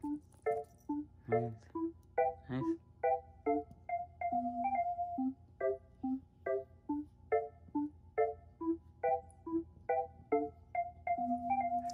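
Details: Bright marimba and glockenspiel music plays in a steady, lilting rhythm of repeated mallet notes, with no animal sound heard.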